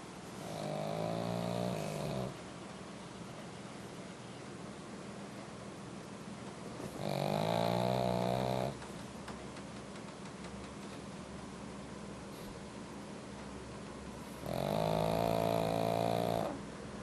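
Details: Pug dog sound asleep in a heated room, snoring loudly: three long, rasping, buzzy snores of about two seconds each, spaced roughly seven seconds apart, with quiet breathing between them indoors.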